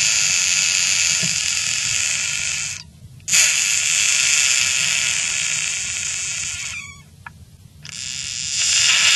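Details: Caught frog screaming in long, harsh, wavering bursts, each lasting about three seconds and separated by brief silent gaps, with a third scream starting near the end; faint low background noise underneath.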